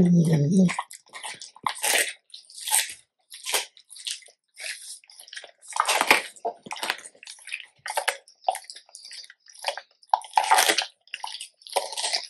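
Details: Labrador Retriever crunching a big raw chicken carcass as its meal; a low murmur at the start, then dense wet crunching and bone-cracking bursts running steadily throughout.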